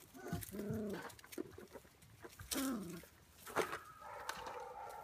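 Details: Belgian Malinois puppies aged five weeks, offspring of Helke and Hot Dog, in their pen away from their mother until midday nursing; several thin, wavering whines come in separate bursts, the last one higher and drawn out, over scuffling and soft knocks.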